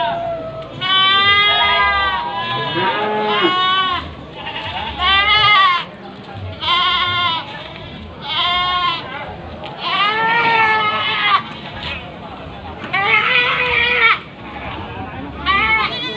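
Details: Many goats, Javanese and Etawah breeds, about forty mostly females crowded onto a pickup at Panggul market in Trenggalek, Indonesia, calling in overlapping tremulous bleats, bursts every second or two, with a man's voice in between.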